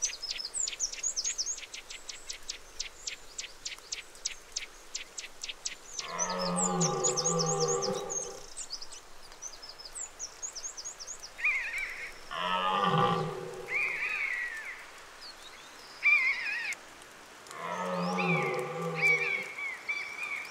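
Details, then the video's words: Red deer stag bellowing during the October rut: three long, deep, harmonic roars of about two seconds each, spaced roughly five seconds apart, with rapid high clicking and chirping birds in the background. "CERF Brâme en Octobre"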